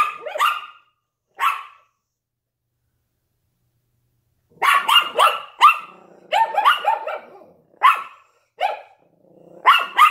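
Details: Yorkshire Terrier and Lhasa Apso barking at a window. Two isolated yaps open the stretch, then a three-second lull, then a run of rapid, clustered barks in quick bursts with brief gaps.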